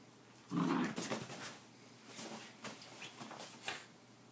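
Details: Whippets in rough play indoors: one short loud growl, then softer snuffles and scuffling clicks.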